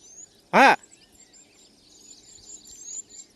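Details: A dog gives one loud, sharp bark on a morning walk, when pet dogs unexpectedly got into a fight with street dogs. Faint bird chirps carry on quietly in the background.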